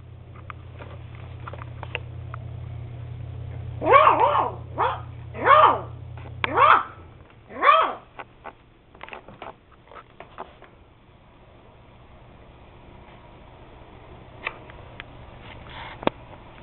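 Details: Max, an eight-week-old beagle puppy, gives a quick burst of five high, sharp yipping barks in the middle, each bright and ringing, followed by quieter clicks and taps indoors.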